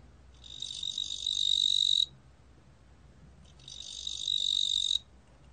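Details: Two shrill, buzzing pulsed trills of a fat cricket (뚱보귀뚜라미), each swelling slightly over about a second and a half, separated by a quiet pause.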